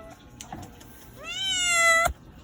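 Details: Domestic cat giving one drawn-out, rising then slowly falling meow with rich harmonics, about a second long, ending in a sharp click; quiet room otherwise.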